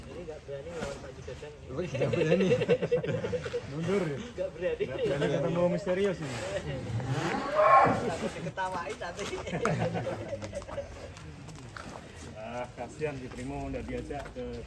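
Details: Fattened Indonesian cattle, prepared for a show contest in Karawang, give long, deep, drawn-out moos with rich harmonics, two main calls around two and six seconds, while men talk nearby.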